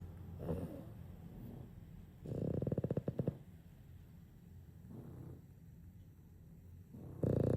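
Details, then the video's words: Two Boston Terriers snore together in low, rattling bursts, each breath a rough, pulsing rumble, as if having a snoring competition. "Try sleeping with TWO snoring Boston Terriers in your house. 😂🐶💤"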